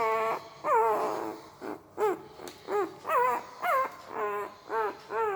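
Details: Puppy asleep, giving odd mouth noises: short, soft whimpering squeaks with bent, rising-then-falling pitch, about ten in quick succession over five seconds, against a faint room hiss.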